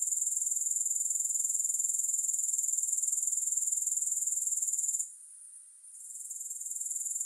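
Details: Continuous high-pitched grasshopper buzzing, finely pulsed and even, dropping away suddenly after five seconds into near quiet, then slowly swelling back to full strength.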